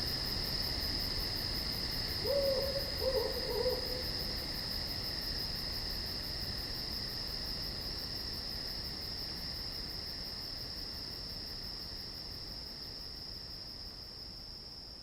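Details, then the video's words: Woodland insects at night keep up a constant high, thin trilling drone with quick regular pulses overhead; early on, a few short low hooting notes, like an owl, break in, then fade. "Night Insects in The Woods"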